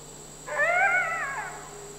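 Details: A captive, critically endangered red wolf (Canis rufus) at the Wolf Conservation Center, South Salem, NY, in September 2010 gives a brief, clear howl that rises, holds, then slides downward. An adult male is with his roughly 5.5-month-old pup.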